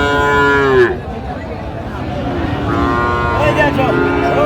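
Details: Friesian and crossbred bull calves for sale at Raniganj market, Dinajpur, Bangladesh, January 2025; a strong moo falling in pitch opens, then softer calls follow under men talking and crowd noise.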